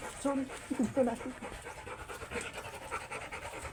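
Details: Oversize chocolate Labrador dog during a stud session at Rosales, Pangasinan, panting in quick, steady breaths through the second half, after a short burst of people talking at the start.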